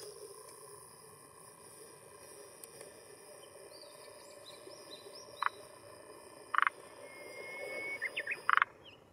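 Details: Male forest green tree frog calling with an inflated throat vocal sac at a hillside pond shore in Japan, early June 2021, late afternoon, to claim territory and attract females; three short, sharp clucking notes spaced over a few seconds above steady background hiss.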